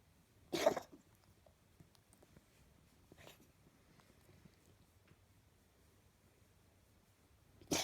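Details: Gracie, a pet cat, in a nighttime coughing episode, which only happens at night: two short, harsh, explosive bursts, one near the start and another at the very end, with quiet room noise between.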